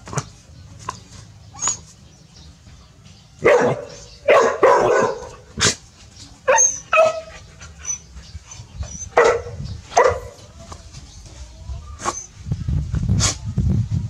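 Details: Village dogs Pao and Rank barking seriously at a snake; irregular bursts of sharp barks, some close together, spread through the stretch, with low rumbling noise toward the end.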